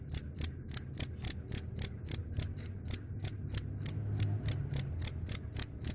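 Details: Cricket sound said to scare away rats: rapid series of high, bell-like chirps, close to four per second, steady and loud over a low rumbling background.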